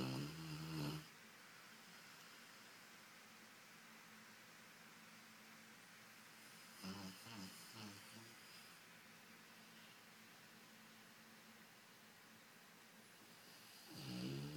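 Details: Golden Retriever Brunão asleep on a lazy Sunday, nose twitching; a short low snore opens, then long quiet breathing with a faint rasp midway, and a final rough snore closes.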